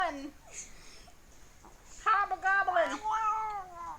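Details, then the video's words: A fat pet cat making weird sounds: after a quiet start with a few faint noises, a long, wavering, drawn-out yowl rises and then slowly sinks over the final two seconds, with a person talking in the background. "My fat cat making weird sounds"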